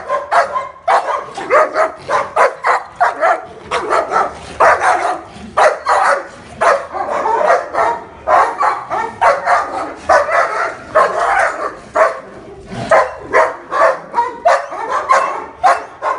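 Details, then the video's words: Aggressive king shepherd, nine months old, sharing the scene with an older black German shepherd, delivers a long, steady run of rough barks, roughly two per second, with a few short gaps in the volley. "My aggressive 9 months king shepherd and senior black german shepherd"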